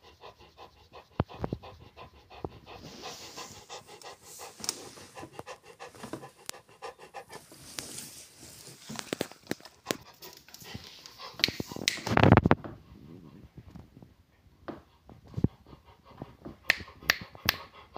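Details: Rottweiler panting in quick, breathy strokes, uneven in strength, with a loud rough blast of noise near the end before the panting quiets.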